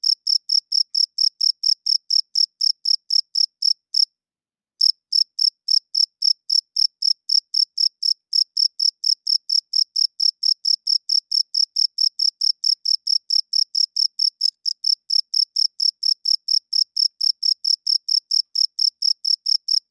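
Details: Cricket chirping loudly at night: clean, high-pitched chirps repeated about four times a second in a steady train, with one brief pause near four seconds; no other sounds.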